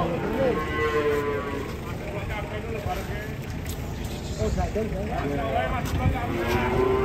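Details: Giant European-class cattle coming down off a truck, several low harmonic moos overlapping, some drawn out and sliding, over a steady broadband background of noise and bustle.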